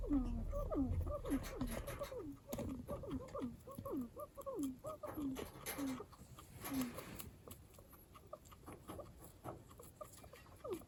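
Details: House guinea pig making strange noises: a quick series of low, falling chirps, about two per second for six seconds, then fading to scattered faint chirps amid soft rustling.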